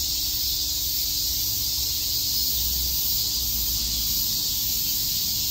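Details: Many cicadas at Shakujii Park in Tokyo on a summer day make one steady, high-pitched, sizzling buzz that neither rises nor fades, with a faint low background hum.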